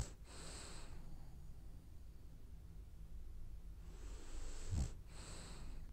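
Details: French Bulldog snoring while it dreams: two soft, hissy breaths about four seconds apart, a low airy rush at the start and end, with a brief light tap near the second breath in a quiet indoor setting.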